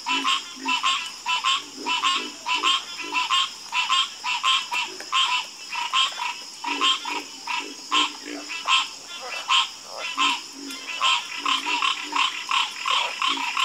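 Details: Frogs croaking together in a nighttime chorus, dense overlapping rasping croaks pulsing almost continuously in quick succession, set against a steady high-pitched insect hum.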